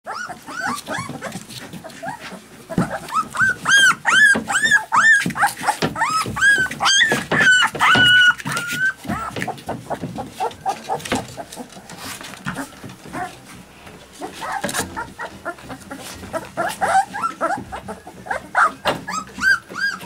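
Alaskan Malamute puppies give high, rising-and-falling whines and yelps in quick, overlapping bursts.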